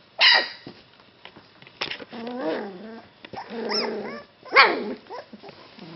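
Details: Golden Retriever puppies give sharp high yelps and rising, wavering whines, several in quick succession, indoors.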